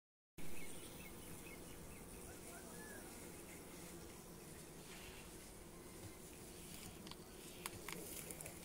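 Honey bees give a steady, low droning hum of many wings, with a few faint clicks near the end.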